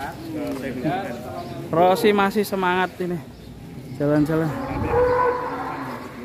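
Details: Cattle, an extremely large fattened cow being readied as a Qurban sacrificial animal in Indonesia, gives a long, low, drawn-out moo in the second half, after a man talks over the opening seconds.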